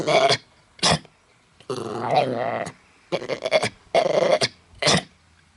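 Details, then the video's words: A dog called Mutley, suffering a very bad cough while attempting to sing in Bredagh, Carrigallen, County Leitrim, 27 August 2016; short hacking coughs around a longer strained, groaning cough. "Funny dog tries to sing, but he suffers from a bad cough."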